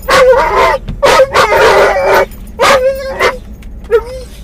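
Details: Muzzled Doberman/collie cross named Mungle, riding in a car, cries out for his missing Moromom toy as he nears where he thinks it is: drawn-out wavering whines and yelps in long bursts, a final short rising whimper.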